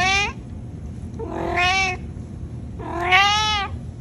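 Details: Domestic cat giving three drawn-out, harmonic meows about a second apart, the last one loudest and rising slightly before falling, with a low room hum underneath.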